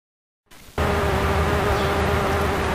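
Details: Bombus ignitus bumblebee (kuromaruhanabachi) taking nectar from satsuki azalea flowers in May 2012. A steady, even-pitched droning buzz starts abruptly after half a second and holds unchanged, with a low hum beneath.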